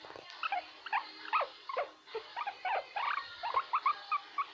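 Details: A guinea pig makes "krrrr" sounds, a quick, uneven run of short squeaky notes, some sliding downward.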